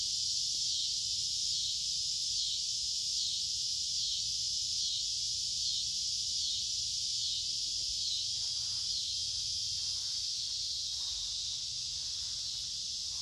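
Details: Cicadas in creekside woodland on a warm, humid midsummer day: a shrill, steady buzzing chorus with a pulsing waver repeating roughly every second, and soft footsteps toward the end.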